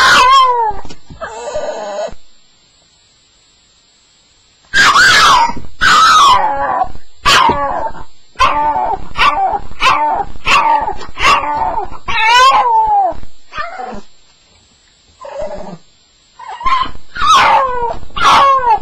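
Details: Staffordshire Bull Terrier on its first night, sounding off during a nightmare: quick runs of high, wavering whimpers and yelps with downward-bending tones, broken by a silent pause of a couple of seconds before the crying resumes.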